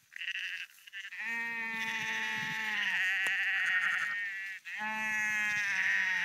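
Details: On the Porrenkoogdeich near Husum in Nordfriesland, walking sheep give a short call, then a long, steady, nasal bleat of nearly two seconds, and after a brief gap another drawn-out bleat.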